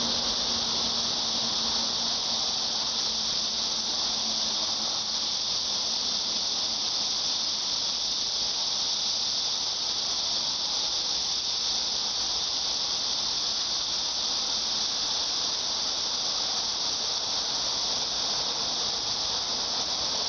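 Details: Shrill, steady cicada buzz filling the air without a break, a bright sizzling tone that never rises or falls, with a faint low hum early on.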